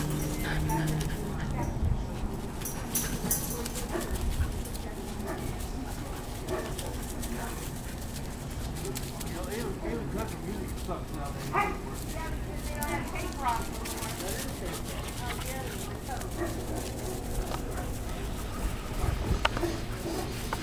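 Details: Playing German Shorthaired Pointer puppies aged 14 weeks, Misty and her brother Skipper of the Squirrel x Freya litter, recorded 02 08 22; scattered squealing whimpers and short yips through the middle, over steady low noise and human voices.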